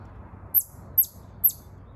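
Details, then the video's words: Chipmunk giving three sharp, very high chirps, each a quick downward-sliding note, spaced about half a second apart over a faint low rumble. "Chipmunk chirping sound."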